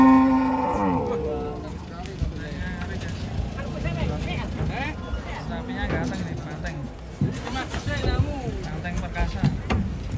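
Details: Giant cattle being unloaded from a truck at a livestock market in Indonesia before Lebaran and near Ramadan. A deep, drawn-out moo with a falling, harmonic-rich tone opens the scene, then men talk over engine rumble.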